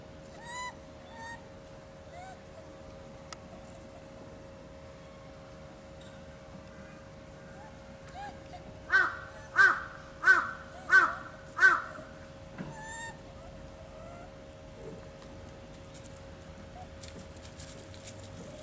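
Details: Bush dog couple at Saitama Children's Zoo, Japan, giving a run of five loud, evenly spaced squeaky yelps about half a second apart, with scattered softer squeaks before and after over a steady low hum.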